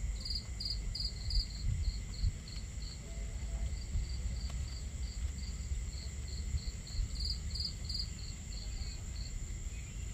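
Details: Crickets chirping on a starry night by a campfire: quick regular high pulses, several louder groups at the start and end, with a steady high hum, fire crackles and a low water rush beneath.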